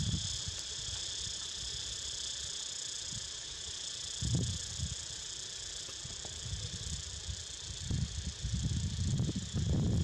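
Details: Cicadas heard as a pet dozes: a continuous high, buzzy drone runs through, with low dull thumps and rustling handling noise bursting in now and then, heaviest toward the end.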